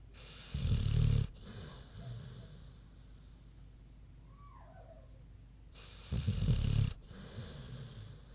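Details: Queenie the pig snoring in her sleep: two deep, grinding snores roughly five and a half seconds apart, each with a softer rumbling exhale, and a faint brief chirp in the quiet gap between them.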